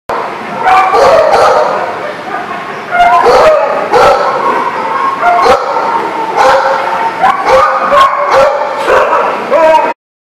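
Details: Dogs barking on 21 October 2019: bursts of sharp, harmonic barks and higher yips repeat every second or so for about ten seconds, overlapping one another, with human voices mixed in.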